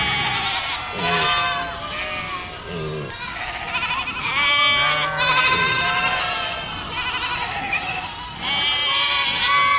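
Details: Several goats bleat in turn and together, each a quavering, nasal, strongly harmonic cry lasting about a second, with short gaps and some low drawn-out calls mixed in.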